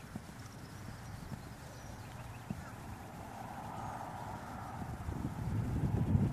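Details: Dutch Warmblood horse moving, its hoofbeats a dull, low, uneven thudding of about three strikes a second, growing louder and heavier toward the end, with a faint murmur of voices.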